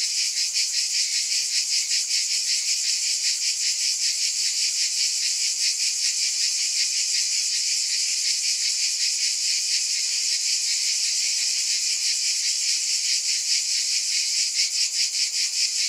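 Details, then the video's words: Long stretch of cicada buzzing, a shrill continuous drone with fast regular pulsing throughout and steady loudness, free of any other background sounds. "Scintillating Cicadas"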